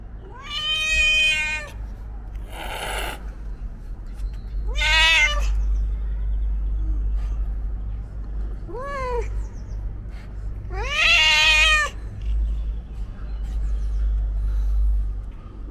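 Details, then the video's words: A loud homeless cat filmed 31 March 2021 on a DJI Osmo Pocket 3 gives five separate meows, some short and rising, others drawn out and wailing, over a steady low rumble of background noise. "Loudest Meowing Cat In The World ?"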